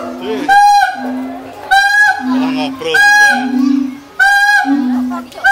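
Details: A zoo siamang at Mangkang Zoo, Semarang, calls with loud, ringing barks about every second, alternating with lower booming tones.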